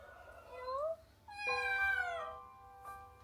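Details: Abandoned kitten ill with pneumonia from the cold, left to rest: a short rising mew followed after a brief pause by a longer, strained meow that bends downward, faint music beneath.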